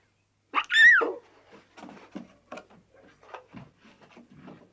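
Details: Young lions frolicking together in the wild: one loud, sharp squeal that climbs then drops, followed by quiet scuffling, scratching and soft breathy noises from the playing cubs.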